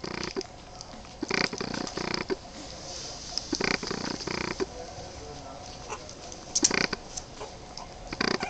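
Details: Boston Terrier puppies, 23 days old, sounding gruff short growls at irregular intervals, several clustered together, then sparser single bursts.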